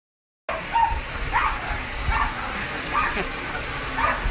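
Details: Japanese Spitz trying to break through a window to reach and attack a garden hose. Sharp, high barks come roughly every half second to second after a brief silent start, over a constant loud hiss of spraying water.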